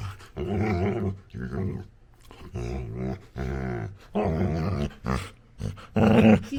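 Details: Labrador Retriever puppy playing with its owner indoors, making funny noises: a run of throaty, harmonic growl-grumbles in bursts of about a second, separated by short pauses, rising to a louder strained growl at the end.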